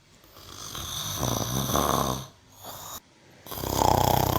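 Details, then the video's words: Mimosa, a cow, snoring: rough, breathy rasps with a low rumbling undertone swell over about a second, pause, then return louder in a second burst. "VACA MIMOSA RONCANDO"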